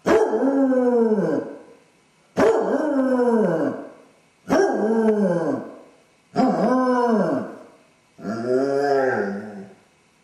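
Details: Four abrupt, descending howls from Dodger, a basset hound with separation anxiety left alone in the house, followed by a softer, lower, more even-toned fifth howl; each lasts over a second with steady spacing.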